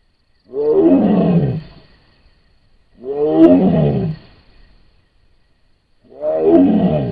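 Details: A wild Sumatran tiger in Sumatra, caught on a camera trap, gives deep, rough roars, each about a second long, repeated every few seconds.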